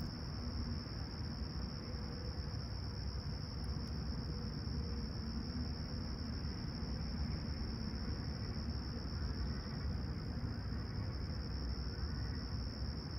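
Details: Calm, clear summer dawn in Toronto's Humber Bay Shores, 28 July 2020, with crickets giving a continuous shrill even-toned trill without pauses, laid over heavy low-pitched city rumble and faint passing vehicle sounds.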